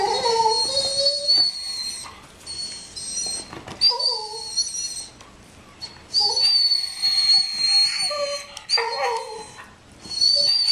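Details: Jealous pet dog whining over another dog's bone, giving long high-pitched whines and squeals that rise and fall, broken by short pauses, with a thin steady whistle-like tone above.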